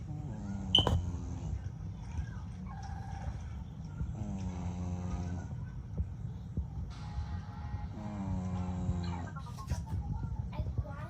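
A young English Bulldog snores with deep, rattling breaths that return about every four seconds.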